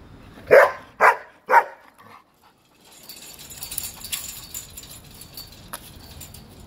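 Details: Thor, a five-month-old German Shepherd puppy, gives three sharp, loud barks about half a second apart, then a brief pause followed by quieter rustling and clatter in the background.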